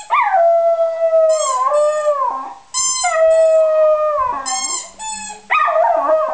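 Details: West Highland White Terrier singing: a sequence of long howls, each starting with a sharp rise then held and sliding downward, with short gaps and a wavering ending; faint music runs in the background.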